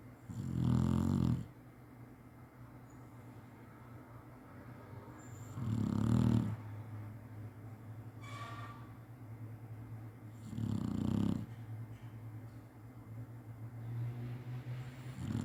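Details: Chinese Shar-Pei dog napping and snoring as usual: three deep, rumbling snores spaced about five seconds apart, each lasting roughly a second, with a steady low hum of breathing between them in a quiet room.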